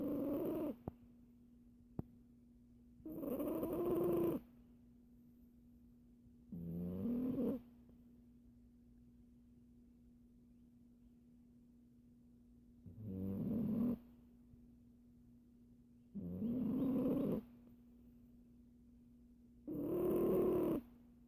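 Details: A sleeping Siamese cat snores away in slow, raspy breaths, each about a second long and coming every few seconds, while the owner wonders whether it is dreaming.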